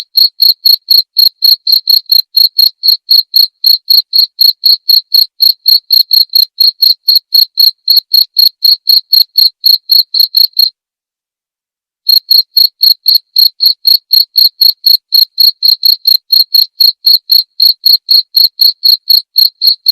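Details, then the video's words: Steady cricket chirping, a clear recording for white-rumped shamas to learn from during nightly sessions; piercing pulses at about four per second run on, with one short pause past the halfway point, otherwise silent. "masteran suara jangkrik jernih!"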